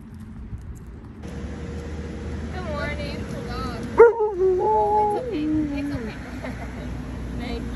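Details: An Alaskan Malamute 'talks' in drawn-out, wavering woo-woo sounds that slide up and down, eager to set off walking to a farmer's market. Alaskan Malamute.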